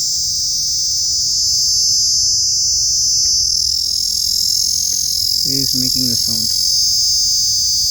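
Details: Small insect producing a loud creepy noise, an intense high-pitched continuous whine held without pause, with a man's voice talking for a moment near the end.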